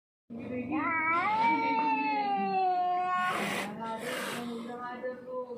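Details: Lone, hungry, thirsty and scared street cat that wandered in from elsewhere, in distress, gives one long drawn-out wailing yowl of about three seconds, wavering then sliding down, followed by breathy hissing bursts.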